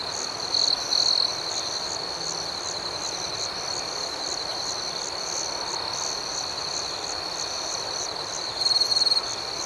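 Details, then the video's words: Crickets calling at night: a steady high-pitched chorus with quick chirps repeating roughly four times per second, broken by short, louder buzzing trills near the beginning and again close to the end. "Soothing Cricket Sounds"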